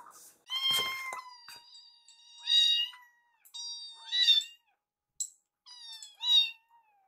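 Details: Rescued kittens Yuki and Piyo call for food from their foster carer: a run of thin, high meows, some with wavering overtones, overlapping at times, with a couple of soft clicks indoors.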